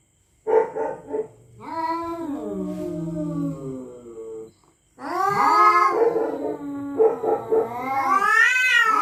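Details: Territorial cats at night threatening each other: a low, descending moan gives way after a pause to louder, rising, whining wails.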